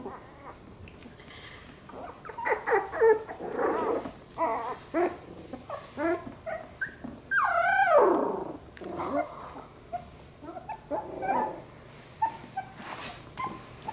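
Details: Playing Labradoodle puppies of Luce's litter trade rapid yips and low growls, with one long squealing whine sweeping downward midway, then more scattered yelps and grumbles.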